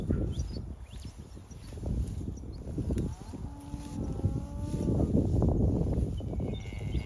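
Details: Many cattle feeding together on pasture, voicing occasionally: a flat, sustained lowing call midway stands out over dense, low crunching and rustling of grazing, with further shorter moos layered in the busy background.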